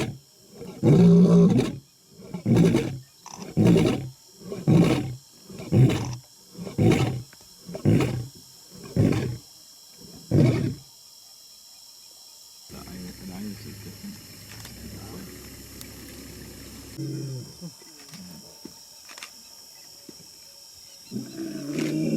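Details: Lion up close giving a quickening series of about ten short, deep grunting roars, spaced under a second apart, fading into quiet rumbling and background hiss.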